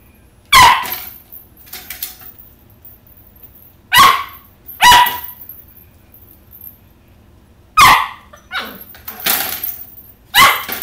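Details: Oppie, an 11-week-old Corgi puppy claiming the cat's toys, barks at a little red ball: sharp, high single barks spaced a few seconds apart, with quieter huffs and rustling between.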